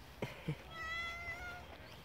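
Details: Stray cats playing with each other on a walking path, unbothered by people: two soft thumps, then one drawn-out, fairly flat meow with a slight waver that fades at the end.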